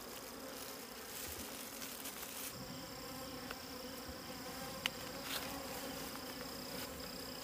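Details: Wild bees buzzing around a hidden wild honey nest: a constant low drone, with a thin high whine after the first seconds and a few sharp clicks and taps.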